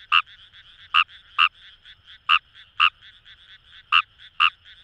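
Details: Close Japanese rice frog (Fejervarya kawamurai) from paddy fields at Itoshima, Fukuoka, Japan: eight loud, clipped croaks in under five seconds, some paired, with softer distant frog calls filling the gaps.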